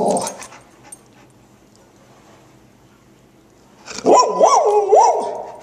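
A Golden Retriever gives a short, wavering howl that rises and falls, almost like speech.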